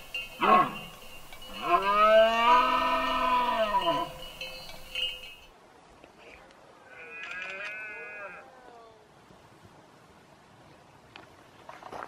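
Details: Rutting red deer stag in Berguedà, 2016, gives a loud, drawn-out hoarse roar that swells and falls over about two seconds. A shorter grunt comes before it, and a fainter, more distant roar follows, then quiet.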